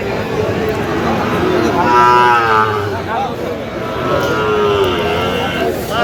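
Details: At a cattle market on 25 October, Sahiwal bull calves let out two clear moos. The first is a strong, wavering call, the second shorter and lower, over faint crowd murmur.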